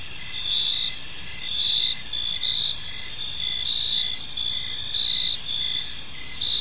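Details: Several crickets chirp together at evening in a park, their shrill trilling notes layered in a constant, gently swelling chorus with light background hiss.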